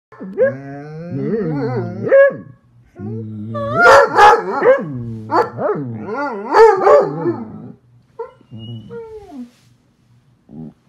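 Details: Hound baying in loud, drawn-out howling notes rich in harmonics, the voice bending up and down in several long bursts with brief pauses, then fading to shorter, quieter yelps near the end.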